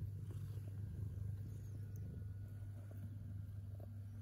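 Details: Kitten purring with pleasure while eating: a steady, low, rumbling drone that continues without a break, with faint room noise above it.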